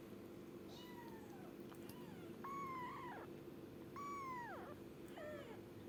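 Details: Young kitten giving four clear meows, the middle two long and drawn out with a falling end, the last short and downward, against a constant low indoor hum.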